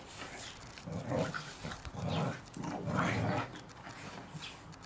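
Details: Several Staffordshire Bull Terriers play in a garden, tearing apart a ball each was given for Christmas. Low, rough growls come in three bursts of about a second each, with a short pause between them.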